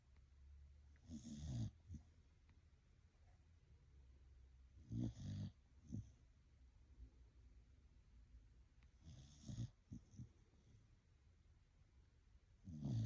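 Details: Blue Heeler dog snoring while asleep at bedtime: slow, low rumbling snores in bursts about every four seconds, each a short rough breath with faint quiet pauses between.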